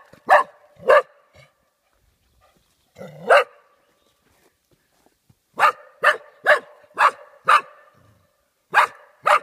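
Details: Golden Cocker Spaniel Oscar, scared by cardboard cutouts in Dalby Forest, Yorkshire: two barks, a low growl leading into another bark, then a quick run of five barks and a final pair.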